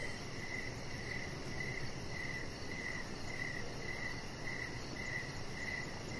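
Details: Crickets chirping in the evening outside by a deck: a steady series of short, high, even pulses, about ten in six seconds, over a constant broad hiss of background noise.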